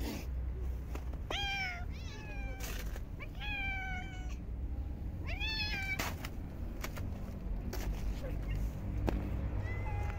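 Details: Park stray cats fed during a very cold winter, giving a few sharp rising meows in quick bursts with clicks and thuds between them, low wind-like rumble underneath and a faint voice.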